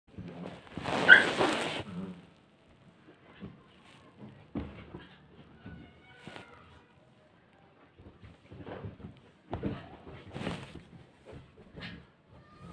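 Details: Siberian Husky play fighting and playing in Haryana, indoors: one loud, harsh, broadband yelp-like burst lasting about a second opens, followed by scattered short, quieter grunts, whines and thumps with pauses between.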